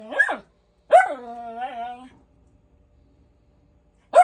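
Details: A Miniature Schnauzer, barking for no apparent reason according to its owner, gives a quick ringing bark, then one stretched into a longer wavering whine, and after a silent pause another sharp bark.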